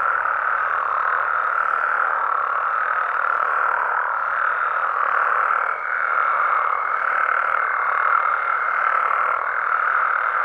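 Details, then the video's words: Night chorus of Mexican frogs and toads in their natural environment: countless overlapping calls merge into a continuous rough hum, briefly dipping midway, with a faint high tone appearing during the second half. "Mexican Frogs & Toads Sounds"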